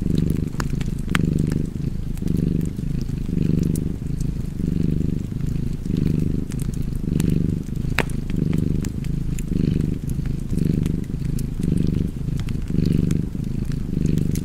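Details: Steady cat purr, a soft deep drone throbbing in regular breath-paced waves near one per second, layered with crackling and popping from an open fire.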